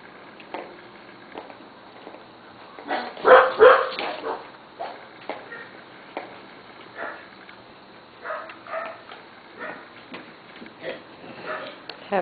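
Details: Corgi puppies from the Missie, Cat and Sugarbaby litters playing together in a play yard, all together for the first time and getting used to each other; scattered short yips and whimpers, with a loud burst of barking about three seconds in.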